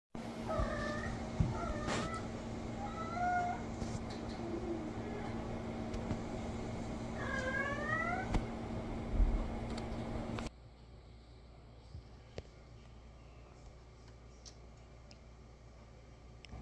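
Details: Tuxedo cat indoors meowing to be let outside; several thin, rising-then-falling meows in the first ten seconds over a steady electrical hum, then quieter room noise.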